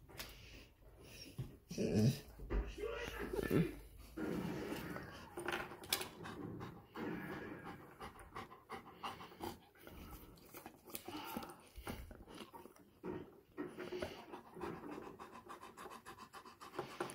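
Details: Golden Retriever named Rex, a pet dog indoors wanting to go for a walk, panting in quick, uneven bursts with some louder huffs early on, while a person talks at times over the breathing.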